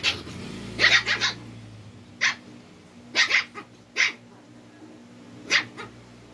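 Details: Twin Shih Tzus challenging and getting annoyed with each other: short, sharp, high barks in quick clusters of two or three, then single yaps every second or so, with faint low rumbling between bursts.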